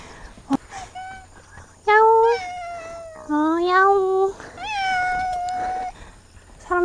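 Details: Friendly cat greeting a camper arriving at a campsite on a remote Korean island, meowing repeatedly. Four drawn-out meows with rising-then-falling pitch, each about a second long. A person speaks softly between them.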